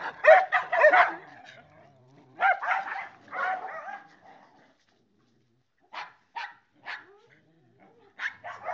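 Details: Niko, a small mixed-breed rescue dog (miniature schnauzer, chihuahua and wire-haired dachshund mix) found near a hotel in Linares, barks in quick bursts of three or four yaps, pauses, then gives sharper single yips.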